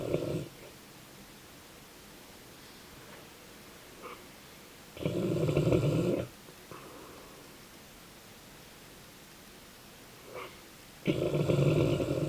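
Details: A Dogue de Bordeaux (French Mastiff) named Ruby snores while asleep: deep, rasping snores of about a second each, spaced roughly six seconds apart, with soft wheezy breaths between them.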